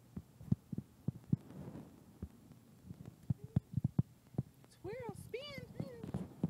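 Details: Akira, a teacup Chihuahua, running and showing off: soft rhythmic thumps of movement, then near the end a few short, high, arching whines in quick succession.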